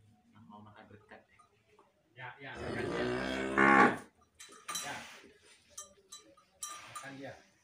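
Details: Limousin mother cow, a breeding cow that produced a super calf, standing in a barn; one loud, drawn-out moo of about two seconds with a rich harmonic tone that swells toward its end, followed by clattering and knocking sounds.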